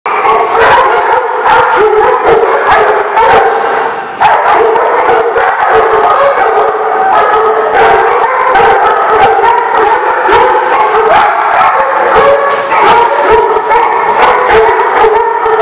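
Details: Dogs at the Barking Lot on 19 August 2016: loud, dense barking and sharp yips pile up almost without pause, with drawn-out, howl-like tones running beneath throughout.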